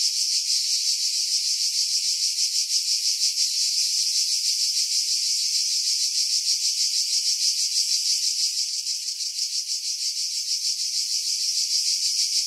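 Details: Cicadas in pine trees about 50 m above the sea at Pefkos Bay, Skiros Island, Greece, in July 2018: a dense, continuous high buzzing chorus pulsing about three times a second, with a slight dip in loudness after eight seconds.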